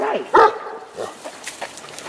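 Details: Leo, an 11-year-old dog, excited and wanting the ball held in fellow dog Rush's mouth, lets out one sharp, loud harmonic bark, then a few faint, soft yips against quiet indoor background noise.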